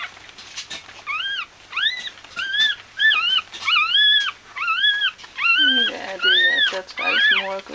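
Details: Bichon Frisé puppies in a litter at a small kennel in Vejle, Denmark, giving a run of high whining whimpers, each an arched rising-then-falling squeal, repeated roughly every half second, with lower squeaky cries near the end.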